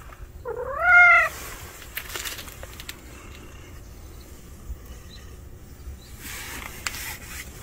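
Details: A strange male street cat that has appeared lets out a single short, rising meow early on, followed by quiet background with scattered rustling and clicks.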